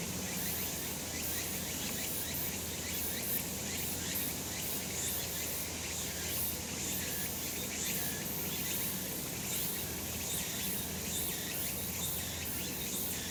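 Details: Sunlit summer mountainside full of cicadas, their high, hissing chorus running continuously with overlapping pulsed phrases that swell and fade, and a faint low hum underneath.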